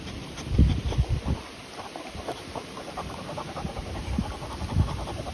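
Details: Panting from a Continental Bulldog, the young pair Rita, 10 months, and puppy Sumo, 2 months; short low breathy puffs come in irregular clusters over a soft background hum.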